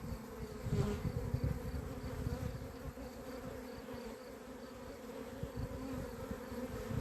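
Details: Honey bees from a beekeeper's own hives, recorded 28 April 2026 and said to have gone crazy, while the bees are gathered into a hive box. A steady, dense humming drone holds throughout, with low handling thumps and rumble beneath, strongest near the start.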